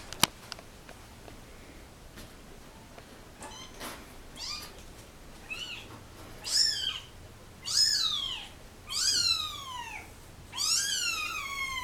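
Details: Kittens of a mother cat dumped in a box at a turnpike cry while being photographed; high downward-sweeping mews start faint and grow louder, about one every second, with a soft click early on.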